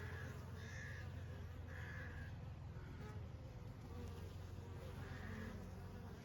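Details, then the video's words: Summer honey bees hum in a continuous low drone, while short harsh bird calls break in three times above the buzz. "honey bees in summer"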